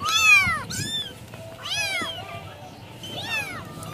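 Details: A restless mother village cat giving loud, bright meows, sweeping up and then sliding down, three main calls with a short extra note, each separated by pauses of about a second, over a faint rustling background.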